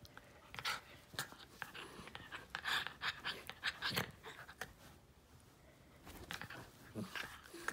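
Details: Jack Russell x Fox Terrier cross playfully attacking its owner's hand indoors in low light, filmed on an iPhone 8 Plus; rapid panting and snuffling breaths in short broadband bursts, with rustling and handling noise between them.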